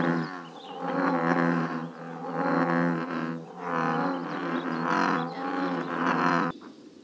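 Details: American bullfrogs at a scenic pond in Northern California, giving deep, harmonic, droning croaks in a steady series, each lasting about a second with brief dips between, loud and continuous throughout.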